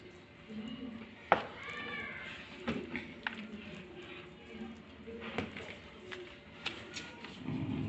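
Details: Seven-day-old Shih Tzu puppy in Lapu Lapu City giving thin, wavering high whimpers that rise and fall, with a few short squeaks and some human speech and household sounds around it.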